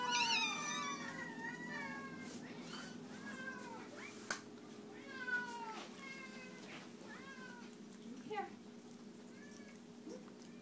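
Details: Several domestic cats meowing at feeding time indoors, overlapping harmonic meows, some rising then falling, repeated rapidly through the first seconds and then every second or so, with a steady electrical hum and a sharp click.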